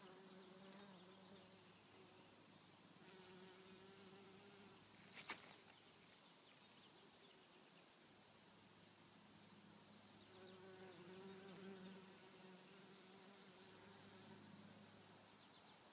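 Bees buzz in a steady low drone that swells and fades as they fly past.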